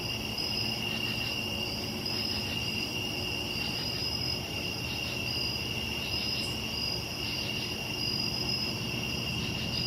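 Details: Summer night crickets: continuous high-pitched trilling in steady bands, with brief brighter pulses recurring every second or two, over low background rumble.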